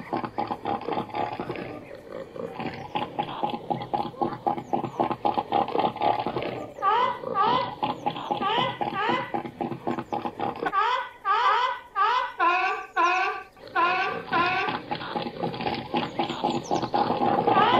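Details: Seal calling with a series of short, harmonic, upward-bending cries repeated rapidly, strongest midway, over a constant rushing background noise.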